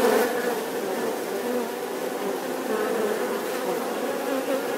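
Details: Steady bee drone, a dense buzzing hum opening with a brief louder burst before settling evenly.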